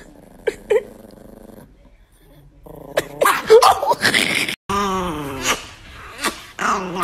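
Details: Nikki, an angry Chihuahua, gives a sustained snarling growl that grows louder and more ragged toward the end, following quiet stretches, short yips and a woman's voice telling the dog not to eat something.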